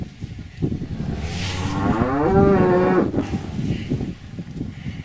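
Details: Cow giving a single drawn-out moo lasting about a second, rising slightly in pitch, set against a rough, noisy low background.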